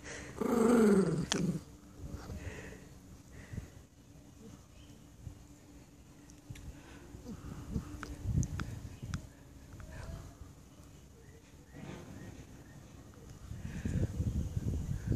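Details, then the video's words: Jack Russell Terrier, a female pet, growling in annoyance at her owner while she eats her chew; a short harmonic groan at the start, then low rumbling and faint movement sounds, with the owner speaking. "Stop it human, you're annoying."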